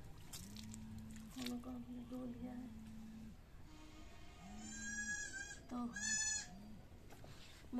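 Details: Domestic goat being hand-milked village style: two harmonic, quavering bleats near the middle and end, with a low steady tone repeating in the background and a woman talking.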